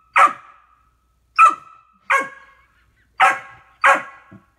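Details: A 15-week-old male Golden Retriever puppy barks at himself in a mirror, giving five sharp, high-pitched barks spaced about a second apart.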